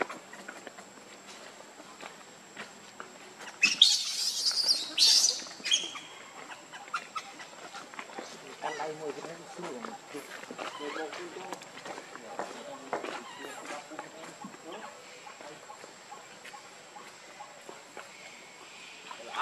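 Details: Baby monkey, hungry and begging its mother for milk, lets out a loud, harsh, high screech lasting about two seconds, followed by softer scattered cries over constant background hiss.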